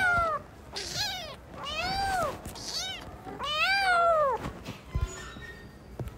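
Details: Several newborn kittens playing: clear, repeated falling meows, about five within six seconds, some long and loud, followed by brief clicks and shuffling.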